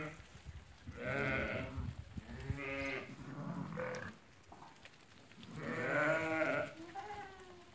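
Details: Lambed ewes held for sale at market in Fkih Ben Salah: scattered bleats of varying length from several sheep, a loud drawn-out one near six seconds, over a noisy background with faint voices.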